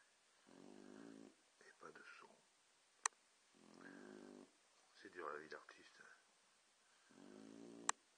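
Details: Boxers asleep, snoring: deep, vibrating, buzzy snores roughly three seconds apart, each followed by a shorter, higher wheezy exhale, with a couple of faint clicks.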